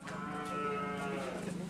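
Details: Madura karapan racing cattle on the Asemanis practice field in Pamekasan, East Java, during a rampage; one sustained, steady, richly harmonic bellow fills the short stretch, with faint voices behind.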